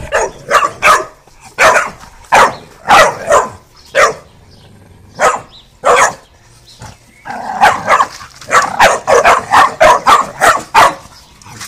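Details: Twelve-week-old Cane Corso cross Mastiff puppies barking in short sharp bursts, irregular clusters of yips and barks with brief pauses, louder flurry of rapid barks near the end; a person speaks briefly.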